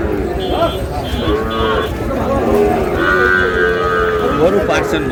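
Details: Sahiwal bull calves at a Noakhali cattle market, Bangladesh, lowing in drawn-out, wavering moos amid a noisy crowd and occasional voices.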